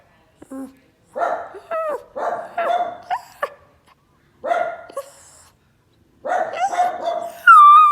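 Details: Dog barking at people walking past, giving clustered hoarse barks in groups of two or three, some with brief upward yelps, separated by short silences and ending in a higher drawn-out whine.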